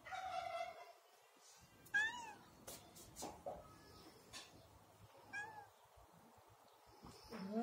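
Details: Domestic cat meowing while waiting for its lunch: about four clear, tonal meows over nearly eight seconds, each bending up then down, with soft knocks and clicks between calls in a quiet room.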